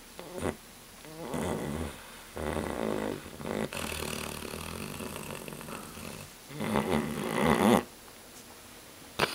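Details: Titus the dog snoring loudly, with rough, rattling breaths that swell and fade in uneven bursts, some long and drawn out, separated by brief silences.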